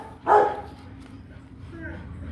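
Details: Rottweiler named Kute Gervi, a 15-month-old offspring of Bruno and Cynia Gervi, lets out a single short, sharp bark early on, then quiet background hum with faint voices.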